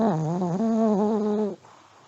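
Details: Elderly Pomeranian asleep and snoring: one long, steady, buzzy tonal snore of about one and a half seconds, slightly wavering in pitch, with a quiet room afterward.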